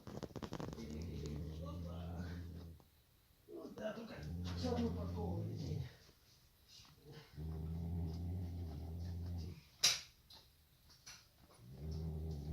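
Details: Tamirchik, a male Nubian goat asleep in a stable, snoring in long low rumbling harmonic breaths lasting about two seconds each, with a human voice speaking between the snores and a brief sharp click.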